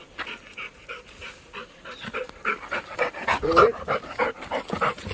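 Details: Playful Labrador panting hard outdoors: quick, breathy huffs that grow louder and faster, about three to four per second.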